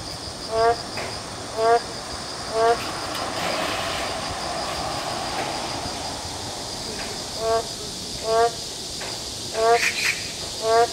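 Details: In an urban forest during rain, Boreal digging frogs give short, nasal, low croaks roughly once a second in loose runs against the steady hiss of falling rain.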